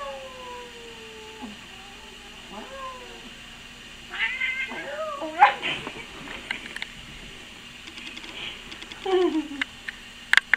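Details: Held house cat, made mad as someone meows at it, opens with a long descending whine, then gives wavering rising-and-falling yowls and a final drawn-out downward moan, with rustling and handling sounds between.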